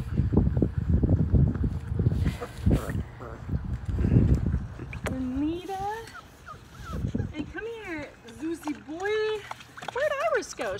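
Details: Labrador Retriever puppies, five weeks old, from a litter of six, trying a dip in the water of the baby pool where they were born; high, bending whimpers come in several short bursts, after people talking and light splashing.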